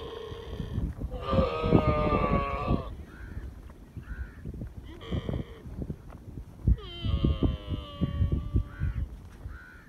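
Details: Young camel calf drinking milk beside its mother in the desert; two drawn-out, wavering harmonic moans of about two seconds each, one early and one late, with short softer grunts between and constant low rumbling noise underneath.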